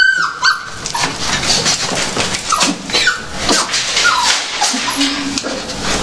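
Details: Several dogs at feeding time, held back before eating, give short high whines and yelps over a busy, noisy room with scattered clatter.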